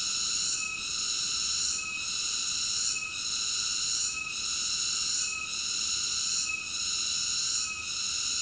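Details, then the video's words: Sustained high buzzing song of a cicada, harsh and even, softening for a moment at steady intervals of just over a second. No background sounds. "Cicada ASMR Sleep Nature Sounds"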